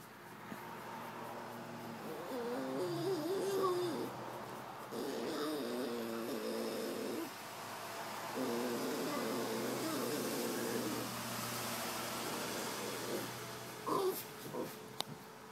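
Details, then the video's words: Tuna the cat's happy growl, which sounds mean though she loves it: a series of warbling, rumbling moans in several long bursts, each one to two seconds, separated by brief pauses, with a few clicks and handling noises near the end. "Tuna's happy growl"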